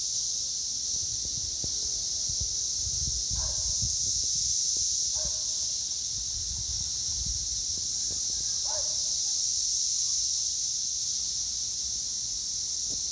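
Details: Cicadas in Northern Kentucky in 2021 fill the air with a dense, unbroken high buzzing chorus holding steady throughout, with a few faint chirps and low rumbling underneath.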